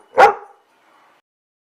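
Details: A single short, loud bark from one of several puppies playing on a carpet indoors, a sharp burst lasting under half a second followed by near silence.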